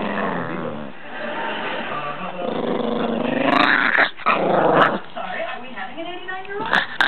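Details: Chihuahua, a spoiled pet dog, protesting at being picked up while comfortable; a sustained rough, buzzy growl rising and falling in pitch, with a few sharper bursts, while a person talks over it.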